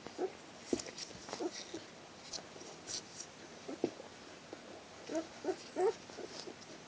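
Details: Litter of four-day-old Border Collie puppies giving soft, brief squeaky whimpers in scattered bursts, a cluster of louder squeaks near the end, with rustling and light tapping sounds.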